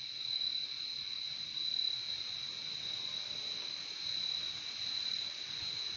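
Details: Continuous cricket chorus outdoors, a shimmering high trill that never pauses, pitch unchanging, volume rising and falling softly over the few seconds.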